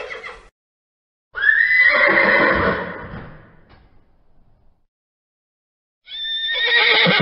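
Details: A horse gives one long whinny that starts high, trembles and slides downward before fading into breathy snorting. Silence follows, then a second shrill neigh begins at the end.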